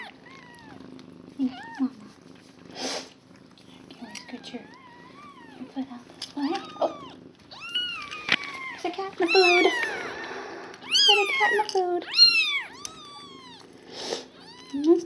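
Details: Day-old kittens from a foster litter of five with mother cat Nala: scattered thin wavering cries build into clustered, sharply arched squeals near the end, with occasional clicks and a quiet human voice.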